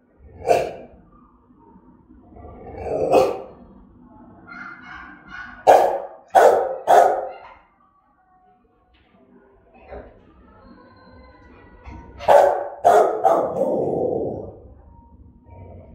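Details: Rottweiler barking in a threatening, aggressive manner: bursts of harsh barks, several in quick succession around the middle and end, separated by quieter stretches with faint tonal sounds and possible voices.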